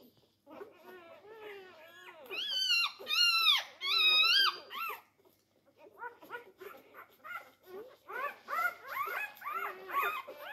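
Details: Four-day-old Labrador Retriever puppies competing for teats indoors, first loud drawn-out high squeals with rising and falling pitch, then rapid series of shorter, softer squeaks from several pups.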